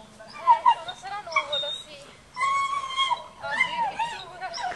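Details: Dogo Argentino at a breeding kennel, giving high, drawn-out whining cries that rise and fall, one sustained note near the middle, with women talking and cooing over the dog throughout.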